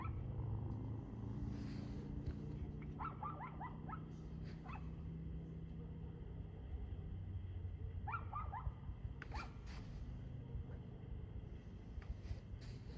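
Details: Dog barking on 2/6/2024 at 6:02 pm: short bursts of quick, clipped barks around three and eight seconds, with isolated sharp knocks between, all over a loud, constant low rumble.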